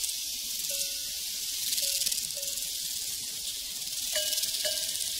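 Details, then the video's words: A steady wash of shrill cricket trilling on a prairie, joined by short hollow cowbell clanks at scattered intervals and a louder double clang near the end. "Sounds from a Prairie Crickets and Cowbells"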